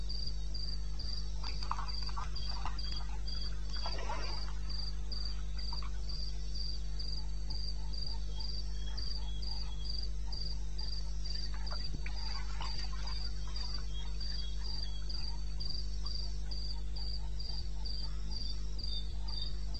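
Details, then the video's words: Eastern Botswana wilderness crickets at night, 21 May 16, 02:30 AM: fast, regular high chirps dominate while brief lower rattling calls of other night animals break in twice, all over a steady low hum. "1 Hour cricket sound"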